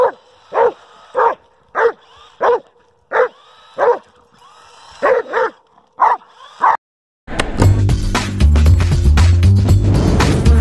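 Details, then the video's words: Dobermann Kruz barks in a rhythmic string of short loud barks at a remote-control car, the toy's motor whining behind him, before loud music takes over the last few seconds. "Doberman Pinscher Hates RC Car"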